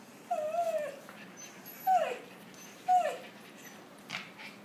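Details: Puppies interacting with three whimpers, each about a second apart and each sliding downward, then a fainter squeak, over a low steady hiss.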